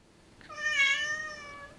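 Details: Talkative female Siamese cat indoors answering her owner's questions: one long, drawn-out, tonal meow rising in strength and then fading, rich in harmonics, followed by a woman asking why.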